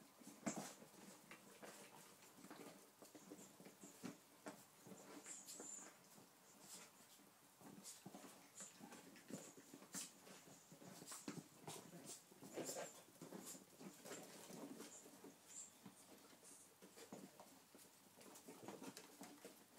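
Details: Eight-week-old puppies from a litter of two males and three females playing indoors with a squeaky chicken toy; brief whimpers and yips scattered among busy scratchy patter of paws, with sharp high toy squeaks now and then.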